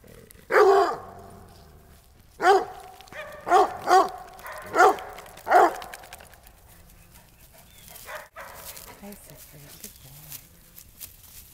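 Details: Coonhounds Tanner, Goldie and Siegfried on an ordinary day, with toy rat terrier Lewis also present: six loud, sharp barks in the first six seconds, spaced about one second apart, then quieter faint noises.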